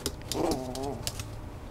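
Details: A single short Schnoodle whine, a wavering harmonic tone that dips slightly in pitch, with sharp clicks around it.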